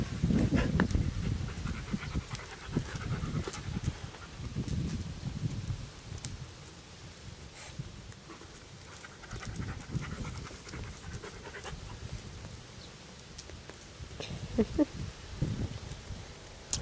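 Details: Panting from a German Shepherd, Anita, at play with an American Staffordshire Terrier puppy in 2008: rapid, husky breaths come in clusters, fading to quieter stretches with occasional scuffles and faint background noise.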